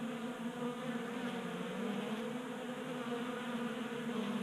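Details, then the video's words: Honey bees crowding a 3D printed feeder on a workbench in a Colorado garage, January warmth keeping them active. Dense, constant buzzing of many wings with a rich harmonic drone and no pauses. "45 Minutes of Honey Bees Feasting from 3D Printed Bee Feeder"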